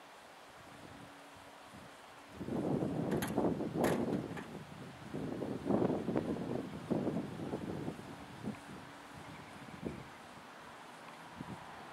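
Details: A quiet start gives way to bursts of rustling, knocking and wind buffeting, like movement along a trail, with no clear animal call heard.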